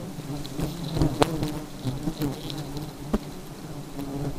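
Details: Aggressive honey bees produce a continuous low droning buzz, broken by a few sharp clicks and knocks, the loudest just past one second and near three seconds.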